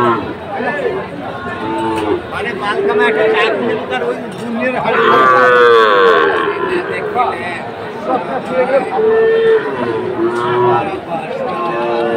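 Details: Sahiwal breed bull calves for sale to traders at a cattle market in Chattogram on 22 October. Intermittent moos rise through steady human talk and market chatter, with a strong drawn-out bellow around the middle and shorter lows later.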